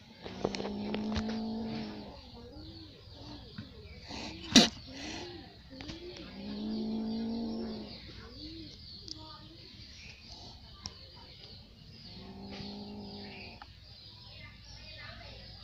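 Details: A little cat in an angry mood gives three long, low, steady moaning growls, each lasting one to two seconds, separated by quieter gaps, with a sharp click between the first and second growls.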